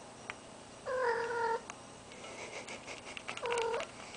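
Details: Indoor cat in heat, a deaf ferret nearby, utters two strained, nasal yowls, the first long and level, the second shorter and rising, with rustling and small knocks between them over steady hum.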